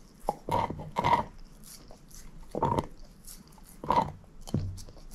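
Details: Moose, a shepherd mix dog, eating a bone: heavy crunching chomps in clusters roughly every second, with soft low rumbling and slurping between the bites, in a quiet room with no talking.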